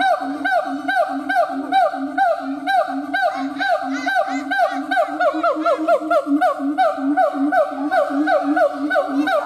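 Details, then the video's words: Siamang gibbon in full howl: a dense, rhythmic train of hoots and barking yelps, more than two per second, steady and loud throughout. "Siamang Gibbons monkay howling"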